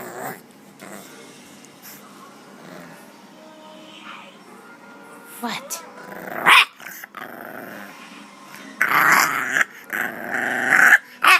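A bulldog puppy growls in low, rough bursts while a person talks to it.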